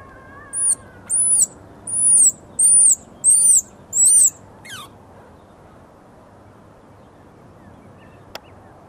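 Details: Baby squirrel that fell out of its nest before its eyes opened, calling in distress: six shrill, high squeaks, each rising and then falling, repeated about every half second, then a quiet stretch with faint background hiss.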